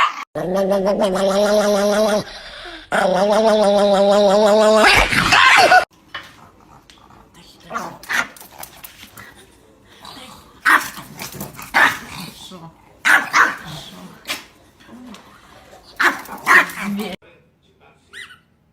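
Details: Pet Chihuahua giving a long, steady, harmonic howling whine for about five seconds, broken by a brief pause. Quieter scattered noises and voices follow.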